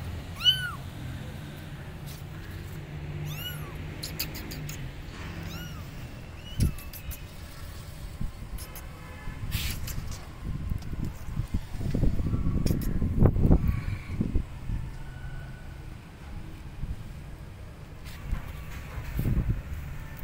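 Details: Kittens abandoned on a gate meow loudly, calling for their mother cat, with short, high, downward-curving cries clustered at the start, followed by clattering, rustling handling noise and low background hum.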